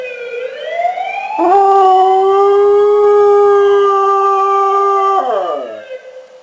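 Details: Yoko, a dog, howling in response to a siren. One long, loud, tonal howl that rises at the start, holds a steady pitch for about three and a half seconds, then drops away at the end.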